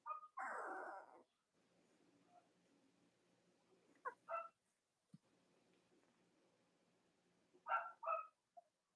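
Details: Young Cavalier King Charles Spaniel puppies, Robin's and Myra's litters, kept indoors in the US on a chilly late-October Monday morning: a harsh drawn-out yelp, then brief high whimpers and a pair of squeaky whines near the end, with faint room hum.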